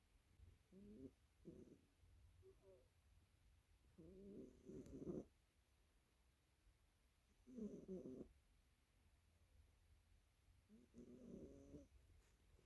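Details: Sleeping black cat snoring indoors: low, throaty, rasping breaths in separate bursts about every three seconds, some doubled, with a faint steady hum underneath.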